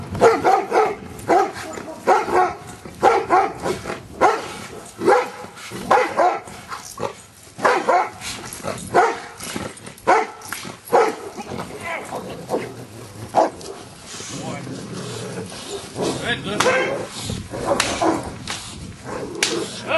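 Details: Giant Schnauzer named Luther during Schutzhund stick hit training on 25 April 2009, being accustomed to stick hits; loud, harsh barks come in rapid bursts almost every second throughout, mixed with sharp impact noises and handling sounds.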